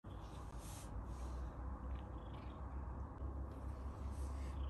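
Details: Domestic Abyssinian cat purring while being groomed by its owner: a deep, low, rumbling purr that pulses steadily throughout, with soft brushing sounds above it.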